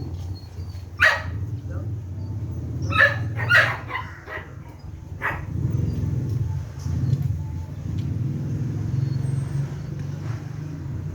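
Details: Belgian Malinois working through basic obedience training gives short, forceful barks, one early and two close together a couple of seconds later, with quieter sounds and a constant low hum underneath.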